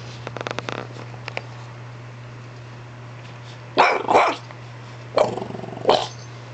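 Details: French Bulldog giving short, harsh bark-like bursts: a rough double outburst near the middle, then two more spaced about a second apart, with faint clicks early on and a steady low electrical hum throughout.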